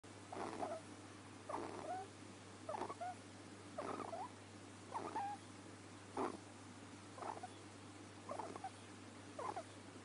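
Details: A sleeping ferret snoring: soft, breathy rasping bursts repeated roughly once a second, some ending in a faint squeaky whistle, over a steady low hum.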